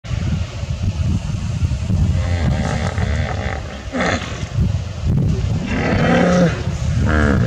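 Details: Hippos in the Mara River on safari in Africa: deep, resonant grunts and honking bellows with rolling, wavering tones, layered over a steady low rumble of water.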